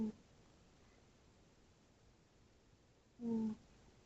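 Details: Sleeping tabby cat Tootsie gives a single clear snore near the end, a short low hum with soft overtones, after a stretch of near silence indoors.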